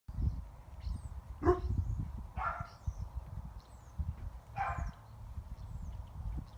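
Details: Five-month-old female Spanish Mastiff puppy guarding her flock from a neighbour, with older dogs nearby; three distant, separate deep barks over steady wind rumble.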